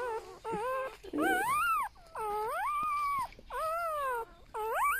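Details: A newborn golden retriever puppy from a litter of eight whimpers in long, arching whines that rise and then fall. Four or five drawn-out cries are separated by short pauses, with a faint hiss in the background.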